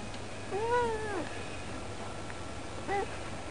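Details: Domestic cat chatting by the window as it usually does: two short, rising-then-falling harmonic meows, the first longer and drawn out, the second brief about two seconds later, over a quiet indoor background hum.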